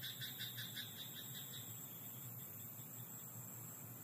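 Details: Night chorus from a rice paddy field: a frog gives a fast, rattling series of pulsed croaks in the first second and a half, then only a constant high-pitched hiss and a low hum remain.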